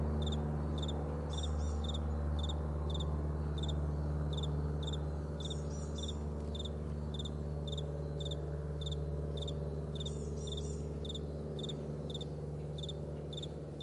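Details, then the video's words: Meadow crickets at morning giving rapid, fairly regular chirps nearly four per second, faint higher twittering now and then, above a persistent low engine-like hum. "Morning Crickets"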